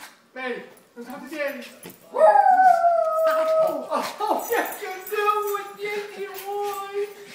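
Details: Two Schnauzers greeting their owner at homecoming produce sustained, steady howl-like 'talking' tones, one long held note then lower drawn-out moans, with short yips between and a man's voice alongside.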